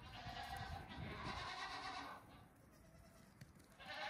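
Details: Farm goat kids nearing two weeks of age, out for a brief morning romp; one long, steady, nasal bleat fills the first two seconds, then quieter rustling before another bleat begins at the end.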